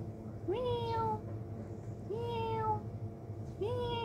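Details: Kitten playing by itself gives three clear meows, each a quick upward slide into a held, slightly falling tone, spaced about one and a half seconds apart over steady low room hum.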